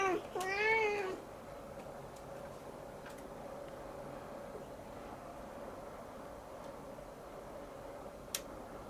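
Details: Siamese kitten indoors, staring up at the ceiling and meowing at length: a short, rising-then-falling harmonic meow near the start, followed by quiet room hum and a faint click.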